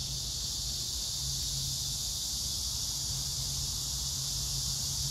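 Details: Summer chorus of cicadas with grass insects, recorded 9 August 2024 in Hwarang Park, Choji-dong, Danwon-gu, Gyeonggi Province, beside flowering crape myrtle. A continuous high hissing buzz dominates over a constant low mechanical hum.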